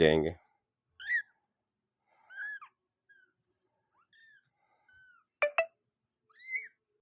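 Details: Persian doll-face kitten giving several short, thin mews that rise then fall, spaced roughly a second apart across the clip, with a brief loud noise at the start and two sharp clicks near the end.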